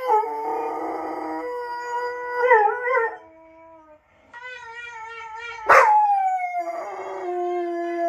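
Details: Female Irish Wolfhound howling in reply to other wolfhounds heard from playback: several drawn-out howls with wavering, overlapping tones, a short pause, then a sharp loud yelp sliding down into a falling howl.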